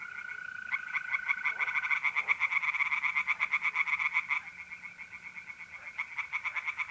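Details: Tree frogs singing at night in a pond in north-east Italy in mid-April: rapid, evenly pulsed rattling croaks from several animals overlap, with a steady high trill of mole crickets running beneath for the first seconds.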